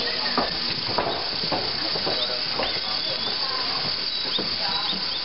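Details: Frightened mother capybara Momiji, kept in a separate enclosure at Nagasaki Bio Park with her babies Choco and Donut, just over four weeks old, while a film crew intrudes. Short rising whistled cries and clicks over a steady hiss.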